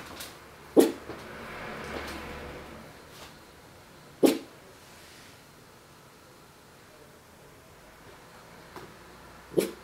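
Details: Bacon, a 4-month-old Miniature Pinscher puppy, barks while looking through a window: three short, sharp single barks spaced several seconds apart, with a quiet indoor room between them.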